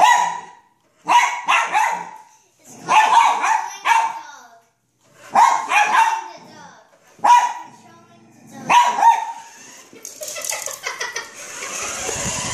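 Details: Excited poodle barking at a remote control car: about seven loud, harsh barks in bursts separated by short pauses, followed by a high whirring hiss of the toy car's motor at the end.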